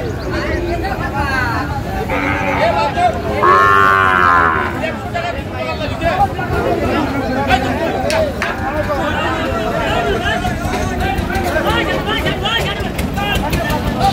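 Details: Sahiwal bull calves at a cattle market in Chittogram, Bangladesh, on 28 February 2025. A single drawn-out, harmonic moo rises out of the din early on, while traders' bargaining voices and crowd chatter run throughout.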